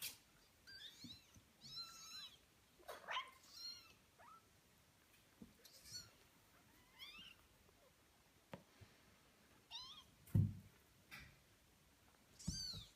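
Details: Young kittens at eighteen days old calling in a run of piercing, high-pitched mews, each a short arching squeal, spaced irregularly, with occasional dull knocks and handling noise.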